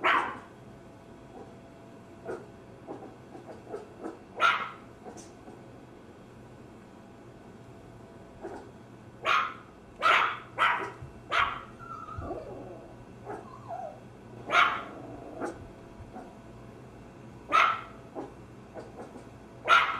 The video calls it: Maltese Terrier Dog Barking Sounds